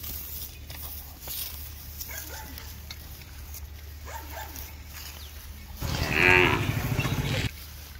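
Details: Cows on a street, with a calf drinking milk nearby; one loud, harmonic, rough-edged moo of about a second and a half rises late, after several seconds of faint background noise and soft scattered clicks.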